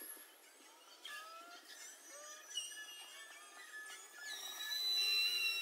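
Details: Beluga whales recorded underwater for research on mother-calf communication and human-produced noise; many overlapping high whistles, chirps and rising and falling tonal sweeps, with sharp clicks and a growing high hiss toward the end.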